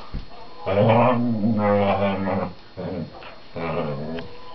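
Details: Male whippet 'talking' to his little sister of 4 months as they play on the sofa at home: a sustained low moaning grumble of about two seconds, followed by shorter throaty mutters.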